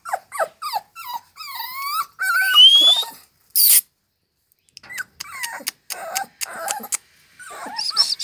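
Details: American Staffordshire Terriers at a kennel in Lavello, Potenza province, Italy: sharp, high whines and squeals that glide upward, broken by short gaps, plus a brief loud noise burst midway.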